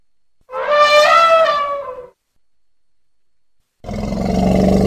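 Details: Young elephant at play making one loud, tonal hoot that rises slightly and then falls away, followed after a pause by a harsh, noisy, broad blast.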